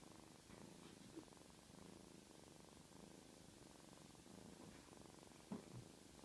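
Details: Little black kitten purring in a continuous low, vibrating rumble that swells and eases with each breath, with a couple of brief soft knocks near the end.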